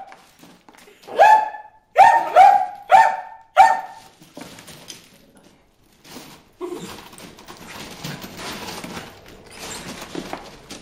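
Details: Bruce the dog barking at fish in a water hole, four loud harmonic barks in quick succession followed by softer splashing and rustling sounds.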